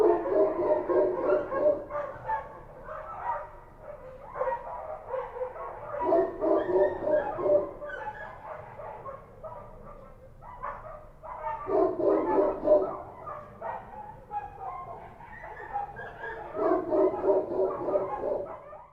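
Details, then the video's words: Several street dogs in Kabul, Afghanistan, barking at night: dense bursts of rapid, overlapping barks lasting a few seconds each, separated by short quieter gaps, repeated four or five times. "Street dogs barking at night"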